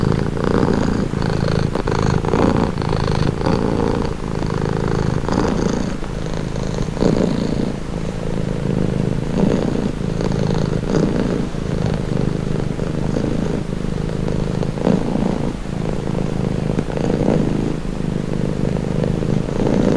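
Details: Continuous low purring from a domestic cat, a rhythmic rumble alternating subtly between inhale and exhale phases over twenty seconds, otherwise quiet.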